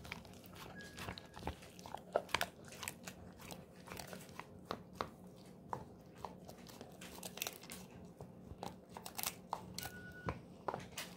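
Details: Quieter, steady gnawing by the pet Golden Retriever Moko on a pig ear treat indoors: many small clicks and crunching bites, rapid and irregular, over a low room hum.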